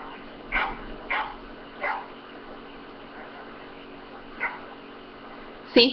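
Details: Domestic dog barks played back to a pet dog, which turns to look toward them; several short barks spaced about a second apart, then a pause and one more, with a louder sharp sound at the end.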